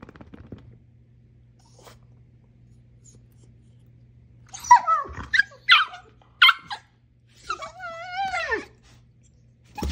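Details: Playful female Siberian Husky romping with a dachshund: quiet opening, then rapid yips followed by a long, wavering, woo-like whine that slides downward, over a low background hum.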